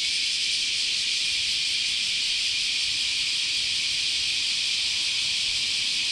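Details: Steady wall of cicada sound from a continuous summer chorus at Chionji Temple, Kyoto, Japan, a high, hissing, unvarying drone filling every moment.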